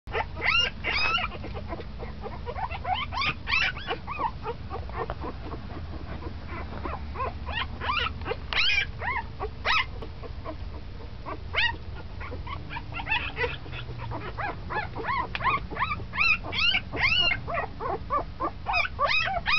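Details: Ten-day-old puppy that has started moving around a lot, giving dense bursts of thin, high squeaks and whines, some rising then falling, coming in quick clusters with brief pauses over a low steady background hum.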